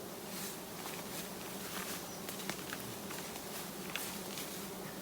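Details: Roadside giant honey bees, their colony hanging low and being harvested, keep up a continuous buzzing drone while footsteps, taps and light rustling patter over the hum.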